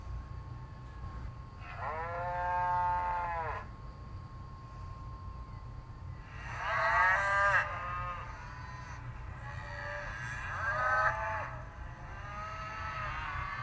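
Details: Cow on a farm mooing three times, each a long low harmonic-rich bellow lasting one to two seconds, spaced about four seconds apart, with steady low background noise.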